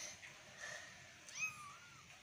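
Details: Domestic cat at family playtime indoors, giving a thin rising-then-falling meow near the end, with a faint squeak before it and low room noise throughout.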